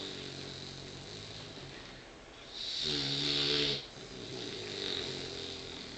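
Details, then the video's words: Sleeping at lunchtime, the tired puppy Indy gives one rough, buzzing snore lasting about a second, framed by soft airy breathing in a quiet room. "Snoring Puppy"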